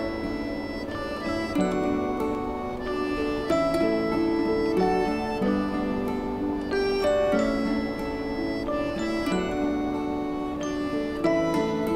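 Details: Gentle instrumental music with plucked strings and soft melodic notes, with no animal sound.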